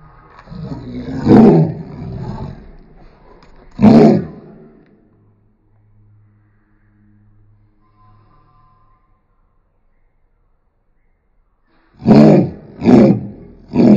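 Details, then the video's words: Harsh, deep barking bursts from Roni, an angry dog: two rough calls, a quiet pause with a low hum, then three quick roaring barks in a row. "Angry Roni"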